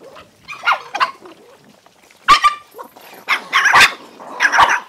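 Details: Many hungry dogs fighting while eating food; harsh overlapping barks, yelps and snarls in loud bursts about every second, several animals at once, with brief quieter gaps between outbursts.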